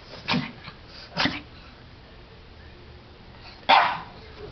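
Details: Pug having a sneezing attack while playing under a table, three short, sharp bursts about a second apart then a louder one near the end, with quiet background between.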